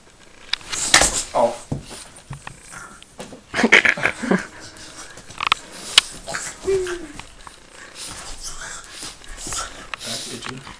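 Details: Frankie, a hyper male Boston Terrier, has a frantic fit over a piece of green duct tape stuck on his back: bursts of wheezy snorting and scuffling, a short whine, and people talking and laughing nearby.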